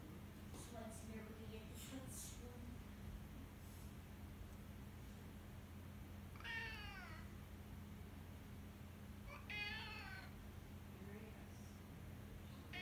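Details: Pet cat Henri howls in a long wavering meow, followed a few seconds later by a second bent, descending cry; faint short noises earlier and a constant low electrical hum underneath.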